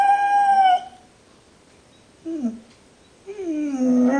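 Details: Dog left in a kennel, complaining: a high sustained whine fading out, a brief dropping whimper, then a rising, wavering whine starting again.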